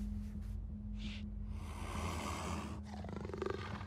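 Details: Two snow leopards fighting in China: a harsh, noisy roar swells for over a second, then breaks into a rasping, pulsed growl, all over a low rumbling background.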